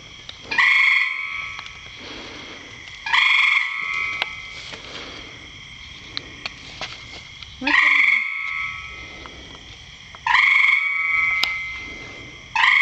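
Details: Frog calling from inside a rain barrel: five loud, ringing tonal calls with stacked harmonics, each starting abruptly, repeated about every two and a half seconds, with faint background hiss between calls.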